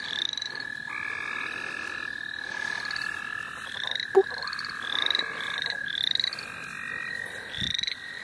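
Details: Frogs at the St. Olaf College Natural Lands calling while being caught for fun: a long even trill holds steady as rising peeps come in bursts roughly every second, with a brief thud partway through.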